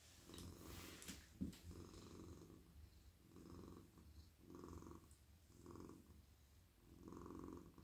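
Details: Relaxed male pet cat purring while stroked on the head, neck and whole body in a person's lap at night; deep, even purr repeating in smooth waves every one to one and a half seconds, with a short knock early on.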